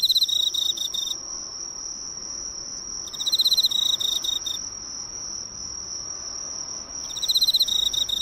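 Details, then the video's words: An Emma field cricket that came to the lights of a neighbourhood drugstore gives bursts of bright, rolling chirps over a steady high insect whine. "【昆虫観察】エンマコオロギの鳴き声を間近で見たらかわいかった Cricket Songs!!"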